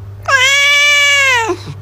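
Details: Pet cat meowing once, a sustained, even-pitched cry lasting just over a second that slides down at its close, over a faint steady indoor hum.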